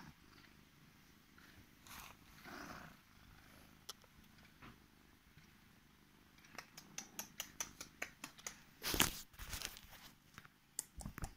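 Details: Female Korat cat on her owner's bed, waking them and showing affection indoors; a soft low rumbling purr runs beneath repeated sharp clicks and rustling, louder crackly handling noises toward the end.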